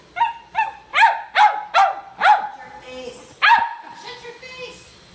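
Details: Silky Terrier barking: a run of sharp, high yappy barks with a strong tonal core, about seven in quick succession, with a person's voice speaking between and after them.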